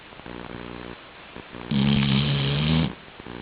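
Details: Sleeping Labrador Retriever Chi-chan snoring: soft rattling breaths pulse rhythmically, then a loud, deep, sustained rumbling snore lasts over a second before the gentle buzzing breathing comes back.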